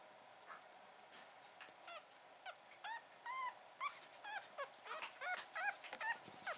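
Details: Newborn Pomeranian puppy, the only survivor of a first litter of three, sired by a Pomeranian out of a part-Pomeranian mix, in its first 14 days. High, squeaky, arched whimpers come about twice a second, growing louder and denser toward the end over faint hiss.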